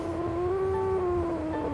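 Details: Suri, a pet cat, whining while her claws are clipped indoors; one long, steady, drawn-out plaintive meow, slightly falling at the end, over faint background music.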